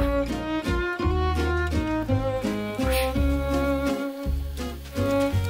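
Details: Bowed string music with cello and violin lines playing in steady phrases, and no animal sound heard.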